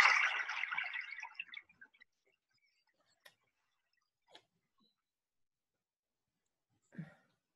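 A brief rustling burst fades into near-silence, broken only by a few faint clicks and a soft knock.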